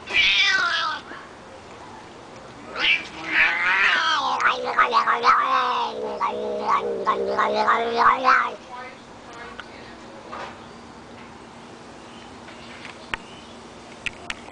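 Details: Pet cat vocalising as his back is scratched: an opening wavering cry, then a sustained stretch of rapid warbling, moaning yowls and chirps for several seconds, fading into quiet with a few faint clicks and rustles.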